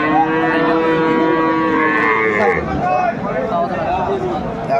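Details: Cow at the Aftabganj cattle market in Dinajpur, Bangladesh, on January 4, 2025, where cows with calves are sold; a drawn-out, low, steady moo fades after about two seconds, over market chatter and background music.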